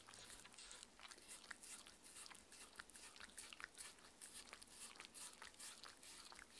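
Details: Mindy, a six-year-old female Shetland Sheepdog, eats her daily raw-food dinner indoors; sharp, crisp crunching and wet chewing clicks follow one another in quick, uneven bursts, with no barking or other voices.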